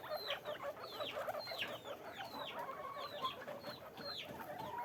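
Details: Guinea pigs kept in cages on a farm give a lively scatter of sharp, high squeaks, each dropping quickly in pitch, with several animals calling over one another against soft background noise.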